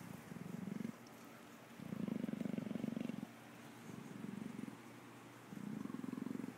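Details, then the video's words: Anju, a captive Amur leopard, purrs in rhythmic, low vibrating bursts of about a second each, broken by short quiet breaths in between, against a faint background hiss. "Amur Leopard "Anju" Purrs"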